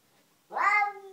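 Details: Domestic cat Nikita in a garden, confronting an unwelcome cat: a single short, strained meow rising in with rich harmonics then settling into a steady held tone, lasting about half a second.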